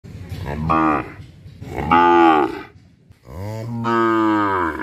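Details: Cow in a village in Bangladesh, Asia, mooing during its daily routine: three drawn-out harmonic moos, each around a second long with short pauses between them, the last one longest and rising in strength.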